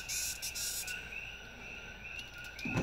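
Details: Queensland longhorn beetle that nearly got away, making noise: a quick run of short, harsh, rasping bursts during the first second, then quieter, over a steady high drone of background insects, ending in a handling thump.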